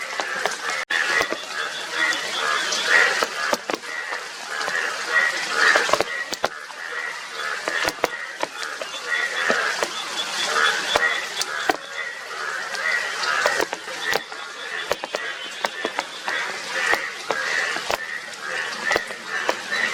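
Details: A massed chorus of Indian yellow bullfrogs, yellow-bodied with blue cheeks. Honking, goose-like croaks from many frogs overlap continuously, broken by sharp clicks over a steady hiss.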